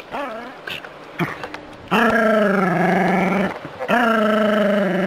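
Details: Jack Russell Terrier confronting a non-venomous rat snake on a city street walk gives long, drawn-out, strained barks with a rough, growling edge.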